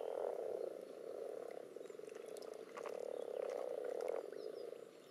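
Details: Common toads with assorted frog species spawning in a pond, recorded above and under water: a continuous low purring trill chorus that swells, then fades toward the end, with faint clicks on top.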